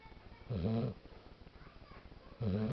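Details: Sleeping dog snoring: two low, rasping, buzzy breaths nearly two seconds apart, each lasting under half a second, with quiet breathing noise between.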